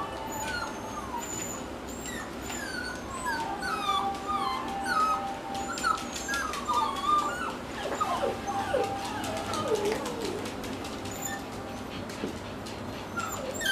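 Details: Young male Toy Poodle on a trial day at a dog daycare, giving many high, wavering whines and short yelps in quick succession, some sliding up and down, with steady room noise behind.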